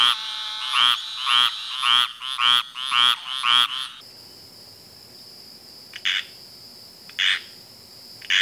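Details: Frog gives a quick run of harmonic, buzzy croaks for about four seconds, then the sound shifts to a hissing background with a few sparse, higher, raspy calls and a steady high tone.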